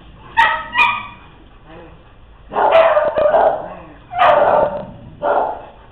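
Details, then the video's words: Playing dogs bark loudly in quick bursts: two sharp yips at the start, then longer, rougher barks in clusters toward the end, with some human voice possibly mixed in. "Dogs Playing"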